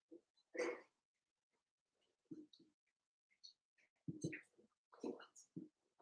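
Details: Cavalier King Charles Spaniel puppies playing in an indoor home puppy pen give short, soft yips and squeaky grunts in scattered bursts with quiet gaps between, plus some rustling.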